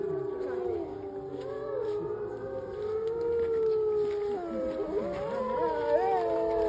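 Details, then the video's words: Several wolves howling together at the Lakota Wolf Preserve on March 5, 2023: long, overlapping, sliding tones that waver and bend, with voices rising and dipping against one another in a steady chorus. "Howling at the Lakota Wolf Preserve"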